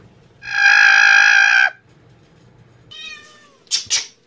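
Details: Domestic cat giving a long, steady, loud meow with rich harmonics lasting over a second, then a shorter falling meow and two sharp brief cries; faint background hum.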